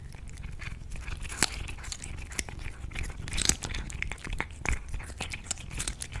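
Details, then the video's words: Cats eating food indoors: irregular crisp crunches and sharp biting clicks over a low rumbling background, with the loudest crunches near one and a half and three and a half seconds. "CATS EATING FOOD"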